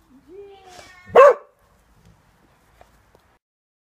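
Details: Cocker Spaniel scared by neighbours gardening lets out a thin rising whine, then one loud, sharp bark, followed by near silence with a couple of faint clicks.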